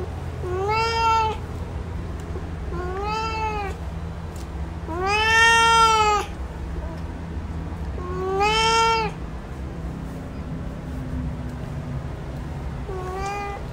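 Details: A male cat gives five meows roughly every two seconds, the middle one longest and loudest, each arching in pitch with rich harmonics; constant low electrical hum underneath.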